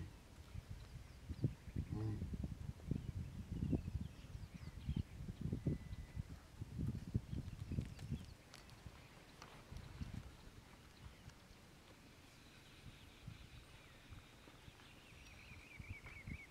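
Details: Splitnose, leader of the Gomondwane male lion coalition in Kruger National Park's hippo pools territory, roars for his brothers in a run of deep, throaty grunting roars, then falls quiet as a bird whistles.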